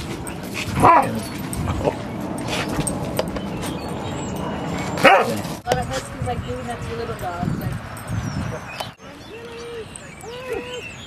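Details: Rocky, a dog, voicing greetings to other dogs at the gazebo of Seal Point Dog Park on the western side of San Francisco Bay, March 6, 2015; two sharp barks stand out amid park noise, with people talking and higher yips.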